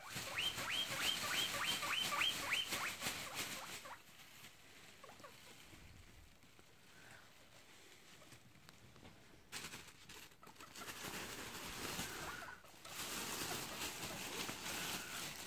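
A hungry guinea pig calls for food with a rapid series of short, high whistled squeaks, several a second. Afterwards come rustling and handling noises with no more calls.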